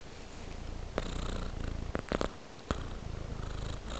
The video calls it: A Sweet Purring Tabby Cat